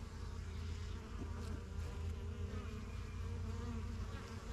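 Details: Continuous low droning of many honey bees flying in and out of a new backyard hive, the yellow box, strongest of the first hives begun in spring 2023; a thick, even hum with passing wingbeats swelling briefly.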